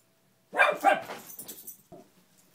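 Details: Pet beagle named Gia, indoors in a room, barking at a fallen Spider-Man lamp while play bowing, frightened or wanting to play; one loud harsh bark, a quieter trailing yelp, then a faint short sound.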